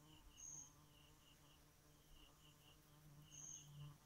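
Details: A bee hums at night in a deep, even drone that rises a little in loudness toward the end. High pulsed chirping and two brief shrill whistles sound behind it.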